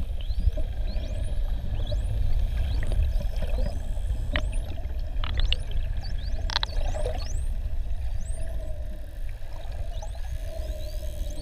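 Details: Adult male bottlenose dolphin named Avalon, wild, Ponta do Ouro Partial Marine Reserve, Mozambique, recorded underwater with mouth held open: rising whistle sweeps repeat throughout, with short broadband click bursts and a steady low rumble.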